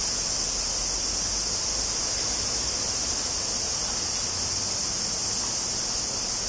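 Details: Cicadas of the species Tanna japonensis fill a summer recording from Kobe, Japan, made 14 August 2011 on a Zoom recorder. A constant, high, hissing drone continues without pause, with a soft low rumble underneath.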